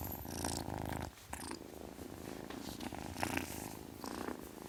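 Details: Kitten purring, a strong low rumble that pauses briefly after the first second and then resumes, with intermittent breathy hiss-like noise bursts.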